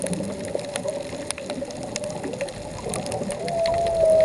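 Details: Off Puerto Vallarta, a diving humpback whale sings a long, steady moan that swells and lifts upward at the end.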